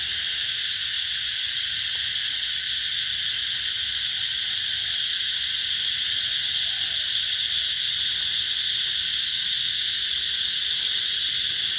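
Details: Cicadas calling in summer at the Mỹ Luôn eco-tourism site, 2021: a dense, unbroken high-pitched buzzing drone that holds steady from start to finish, with strong bands of shrill sound and no pauses.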